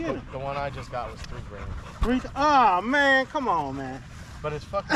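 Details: Staffordshire Bull Terriers, male dogs in a pack chatting on a long evening at the park: wavering, harmonic whine-howls that rise and bend, in overlapping bursts with short gaps, plus a sharp knock near two seconds.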